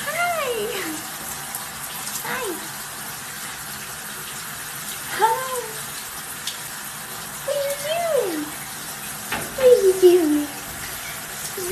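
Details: Pet cat showing love to its owner, giving five drawn-out meows with a falling tone, spaced roughly two to three seconds apart, over a steady hiss of running water.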